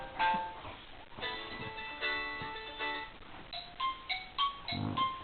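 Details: Bright plucked-string ringtone melodies play in a small room, with no animal voice heard.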